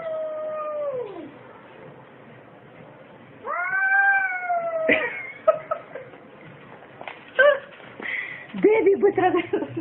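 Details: Kitten meows: a falling, whiny meow opens, then after a pause a louder, longer meow that bends slightly downward. Clattering, thumping handling noises and brief squeaky cries follow in the later seconds.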